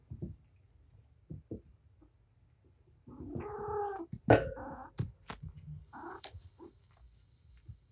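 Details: Patience the mother cat romping with her kittens indoors: a drawn-out harmonic meow lasting about a second, a sharp knock, then further short meows and chirps amid scattered bumps and rustling.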